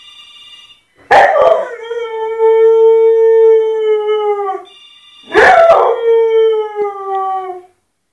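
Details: Pet dog Fenia reacts to a ringing phone with two long, steady howls, each opening with a rough burst and then holding a level, drawn-out tone, while a ringtone sounds faintly underneath.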